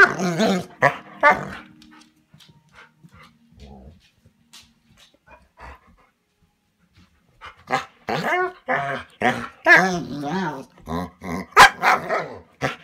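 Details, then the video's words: Manda, a Bernese Mountain Dog, indoors at a cabin, protesting at being left inside while Tim goes for a walk; one harmonic whine opens, then a quiet stretch, then a burst of rapid, varied yelping 'talk' syllables. "Manda the BMD - Talking"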